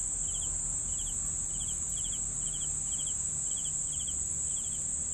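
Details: Evenly spaced cricket chirps, each a quick burst of pulses, recur about twice a second against a continuous shrill drone and soft low rumble.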